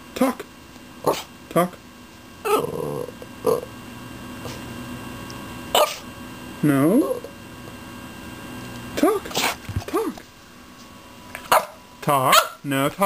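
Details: Beef, a dog, doing his "talking" whine to ask for things, interrupted by sneezes and yawns; short wavering, rising-and-falling whines and snorty bursts scattered through, with a human voice in between.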